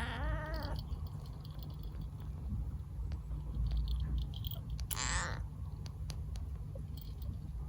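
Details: Husky call of a female short-legged Munchkin kitten that does not say a usual meow, filmed May 2021: a brief wavering harmonic cry at the start, then a shorter rising cry about five seconds later over low indoor rumble.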